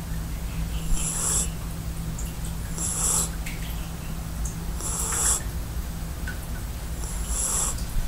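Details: Kofi, a sleeping 4-month-old Belgian crossbreed puppy, snoring: raspy breathy bursts about every two seconds, with a steady low hum underneath throughout.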